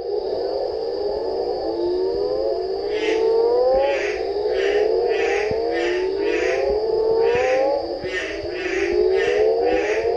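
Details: A chorus of Mexican burrowing toads (Rhinophrynus dorsalis) gives overlapping low, rising, moaning advertisement calls at quebrada El Duende, Indio Desnudo trail, Sector Santa Rosa, Área de Conservación Guanacaste, on 4 June.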